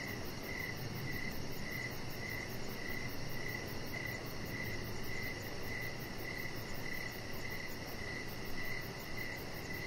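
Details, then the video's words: Crickets in the evening by a lit-up deck with a chihuahua lying out; about sixteen clipped, mid-pitched chirps in steady succession, a constant high insect shimmer above and a low ambient rumble beneath. "3 Hours Of Chihuahua Puppy Laying On Deck with Cricket Sounds"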